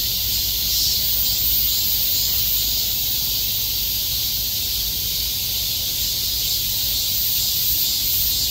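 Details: Summer chorus of many cicadas crowded together like bees, all calling at once: a steady, shrill, hissing drone with no breaks, filling the high register for the whole stretch.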